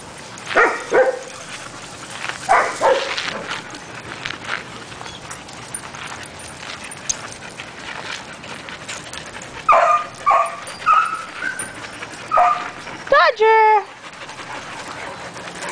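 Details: Dogs playing together outdoors at Pawderosa ranch. Short barks come at the start, a burst of four or five barks follows near the middle, and a higher yelping bark comes near the end. A person's voice sounds faintly in between.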